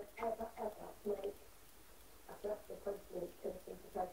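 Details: American Bulldog puppy indoors in a small room, making short, nasal, whimpering whines in quick bursts, about three or four per second, with a brief pause midway before the whining resumes.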